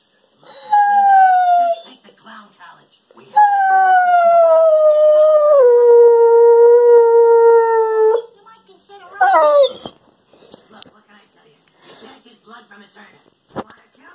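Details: Weimaraner and German Pointer cross dog 'talking' in its daily monologue: long tonal howls with stepped downward pitch drops, a short rising-falling yelp near the end, owner's speech between calls.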